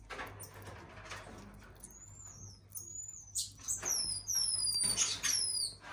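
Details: An elderly female common marmoset kept at a zoo, balding and gone white all over, gives a run of very high, thin whistled notes, each sliding downward, repeated quickly from the second second on among soft clicks and rustling.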